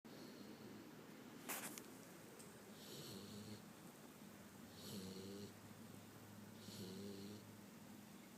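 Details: Penny, a 5-month-old Boxer puppy, snores while asleep after a trip to the dog park: low rumbling breaths with a hissy upper edge, roughly every two seconds, in a quiet indoor room.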